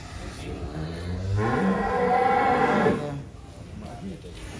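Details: Giant cattle kept in a barn in Wonosobo, Indonesia, some weighing up to 1.3 tonnes; one cow gives a long, drawn-out moo starting low then swelling into a louder, brassy bellow for nearly two seconds, with background murmur and hum.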